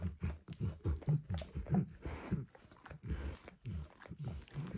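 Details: Rapid wet licking from Max, a dog, at a bumpy orange mat coated with egg and peanut oil; fast slurping strokes, about one and a half per second, briefly easing midway before resuming.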